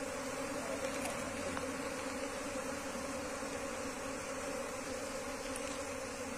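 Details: Asian honey bees, a wild colony being relocated into a hive box, hum in a constant low buzzing drone, with scattered faint ticks over the top.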